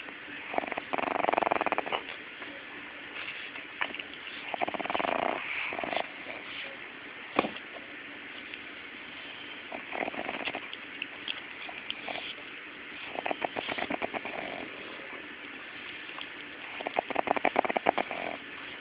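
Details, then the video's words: Pug puppy snoring in its sleep, with uneven rattling, purr-like bursts of varying length scattered irregularly through the recording, separated by short quieter breaths and a constant low hiss. "Pug Pup Snoring"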